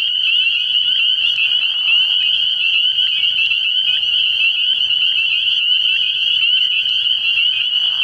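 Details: Early-year night at a frog pond where many spring peepers call at once. Dense, high, slightly pulsing peeping runs throughout, with a few lower grating notes mixed in.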